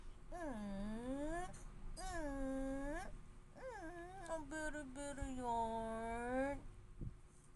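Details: Siberian Husky arguing: long, drawn-out howling moans rich in overtones, bending up and down in pitch, four main yowls across about seven seconds with brief gaps, closing with a short click.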